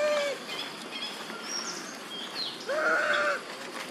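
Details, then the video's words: Monkey mothers Duchess and Queen calling their missing baby Quinton outdoors: a short falling cry at the start, then a longer harmonic wail about three seconds in, with thin high chirps from birds in between. "Mom Duchess And Mom Queen Huge And Crying Calling Their Baby"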